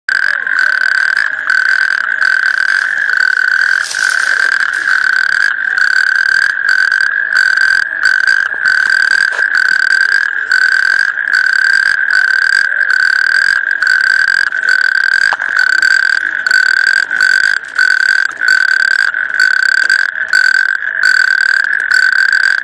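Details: Natterjack toad calling: a loud, continuous rattling trill on a steady mid-high pitch, sustained without a break for over twenty seconds, with rapid pulsing throughout and a brief thump near four seconds.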